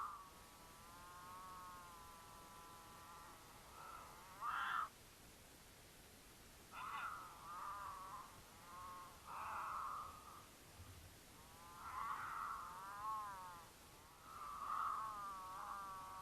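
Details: Mountain lions in Utah during courtship, caught on a trail camera along their path; drawn-out wavering harmonic wails, several short bursts spaced through the clip, faint and partly masked by hiss.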